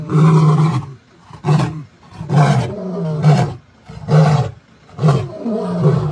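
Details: One of the Mbiri male lions roaring this morning, 16 September 2023: deep, resonant grunts about once a second, each a short low moan, separated by brief breaths.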